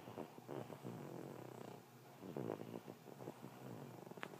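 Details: Bulldog asleep and snoring, a steady purring rattle with a few louder snorting breaths in the middle and a short catch at the end.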